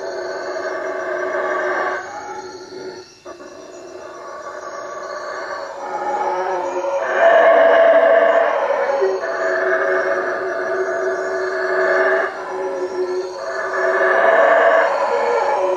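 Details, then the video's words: Howler monkeys in treetops around a hut at Lake Peten Itza, Guatemala, at night: bouts of rough, booming roaring come in waves every few seconds with short quieter gaps, while a steady high insect drone runs beneath. "Howler monkeys at night"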